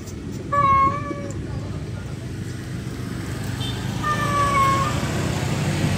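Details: A male cat calls to a wild female: two separate meows, a loud one near the start and a softer, wavering one about three seconds later, over steady low rumbling background noise.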